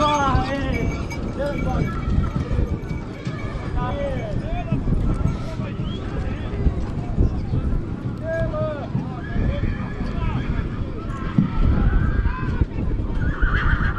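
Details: Stallions of the Fitero line at Gura Humorului, 2022: wavering, arched whinnies rise and fall several times over hoof clip-clops, with people talking and calling throughout.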